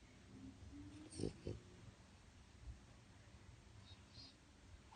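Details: Male French Bulldog napping in his crate one afternoon, snoring loudly: two short, rough snorting bursts near the middle over a low rumbling background, with a person's brief greeting at the start.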